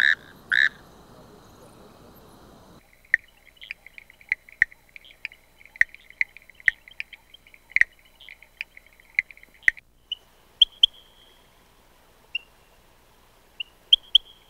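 A frog gives quick, clicking trills around the same mid-high pitch, with sharp clicks scattered between.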